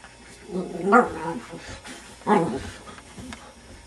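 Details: Puppy playing at home, worked up after someone blows on his face: two loud, tonal, growling yelps about a second apart, each rising then falling, in a quiet room.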